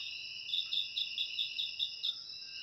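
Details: Crickets chirping steadily, a high continuous trill overlaid with quick bright pulses repeated about every fifth of a second, with no other sounds.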